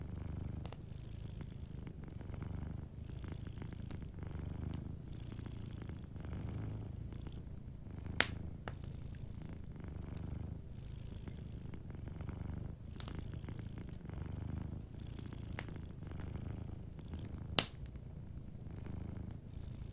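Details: Sleeping cat purring softly beside a warm fireplace: a low, steady rumbling purr that swells and fades in breath-long phrases, with scattered sharp crackles and pops from the fire.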